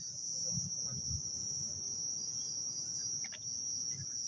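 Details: Crickets calling loudly at night in Taman Rakyat Klang, Malaysia: a dense, steady high-pitched trill runs without a break, with low murmuring voices and footsteps underneath.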